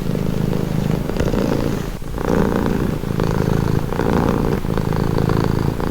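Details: Cat purring up close, a thick low-pitched rumble that breaks into regular breathing cycles near once a second, with a short pause and soft click around the two-second mark.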